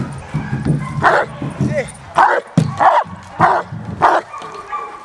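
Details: Presa Canario Winjimlands Hank the Tank, a working dog in protection training at De la Arena field in Germany with AVD e.V.; loud, deep barks in a burst of five roughly every 0.6 seconds, with a man's voice talking underneath.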